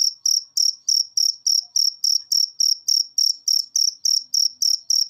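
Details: Cricket chirps from a training recording for cage birds that are reluctant to sing. Clean, sharp, high pulses repeat steadily about three and a half times per second with no other sounds.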